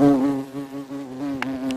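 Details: Close-up of a European hornet (Vespa crabro) scraping wood in North Rhine-Westphalia, Germany: a low, steady droning buzz broken by two brief crackling scrapes.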